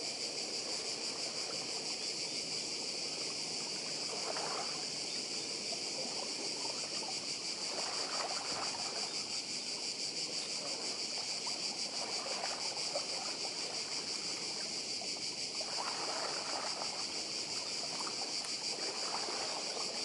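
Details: Constant shrill drone of many cicadas on the Croatian island of Badija, evenly pulsing throughout, while waves wash and trickle in the background.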